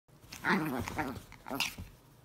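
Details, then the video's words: Chihuahuas in a fight, with brief tense vocalizing: a burst of harsh, harmonic yelps and snarls that bend up and down over about two seconds, followed by a sharper high cry near the end, indoors. "Chihuahua fight"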